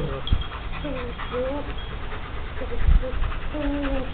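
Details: German Shepherd puppies, seven weeks old, at play in Mexico, giving thin, steady whimpering whines in short bursts about every second, with soft thumps and background voices.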